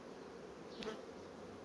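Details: Honey bee colony building brood frames quickly: a steady, dense low hum of many bees, with a brief sharp click near the middle.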